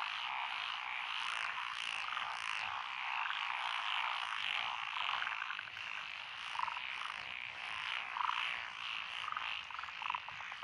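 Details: Mixed frog chorus from lotus paddies beside a rural road, Echizen, Fukui Prefecture, Japan, 12 June 2021: Japanese tree frogs, pond frogs, wrinkled frogs and green tree frogs calling together in a thick, steady wall of rapid croaking pulses.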